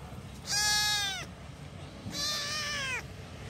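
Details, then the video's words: Two drawn-out kitten meows calling for mother, each strongly harmonic, the first short and slightly falling, the second longer and flatter, against a low background rumble. "compilation of kittens Calling Mom..."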